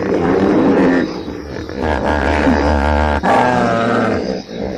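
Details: Hippopotamus calling with deep, harmonic, resonant tones that waver continuously, carrying a steady low drone beneath wobbling mid-pitched overtones, briefly broken by a sharp dip near the three-second mark.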